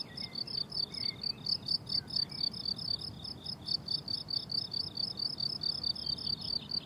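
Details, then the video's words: High, rhythmic cricket chirping from a blooming summer meadow, the pulses close and steady, with a couple of faint bird notes early in the clip. "Relaxing Cricket Sounds on a Summer Meadow"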